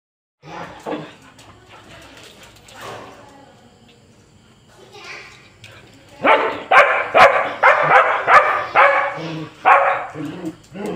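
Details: Husky and border collie, pet dogs in Kerala, quarrelling with each other. Quiet opening with low sounds, then a loud run of sharp, rapid barks about three per second near the end.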